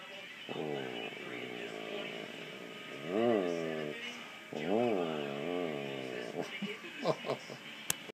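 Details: German Shepherd dog, attentive to its owner, makes a long, low, wavering whine followed by two swooping moan-like calls, then soft snuffling and small clicks.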